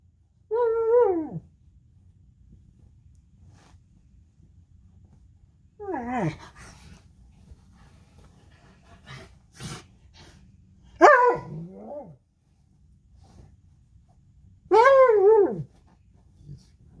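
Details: A purebred, unneutered male Alaskan Malamute playing in bed in the morning gives short, wavering howls and cries, each rising then sliding down, spaced several seconds apart.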